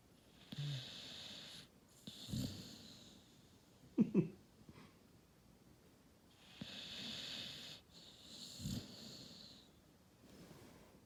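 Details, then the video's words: Sleeping Cane Corso puppy snoring, raspy wheezing breaths coming in regular bursts about every two to three seconds, with a brief snort in the middle, inside a quiet room. "Snoring Cane Corso"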